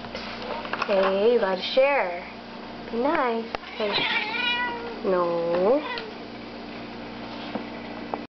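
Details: Indoors, a four-year-old female cat and a nine-week-old female kitten play on a new cat tree for the first time, distracted with catnip. About five drawn-out meows rise and fall in an arch, some short and squeaky, with a woman talking softly between them.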